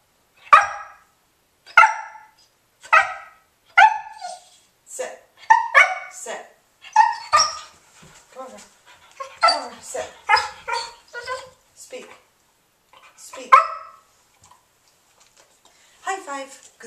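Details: Remington, a 5½-month-old English Springer Spaniel, is trained indoors to bark on command, later meant to signal going out; a run of sharp single barks roughly once a second, mixed with a person's repeated "speak" and praise.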